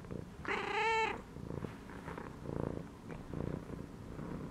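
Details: Domestic cat lying inside a gym belt, relaxed, giving a clear tonal meow early on, followed by soft pulsing purring bursts.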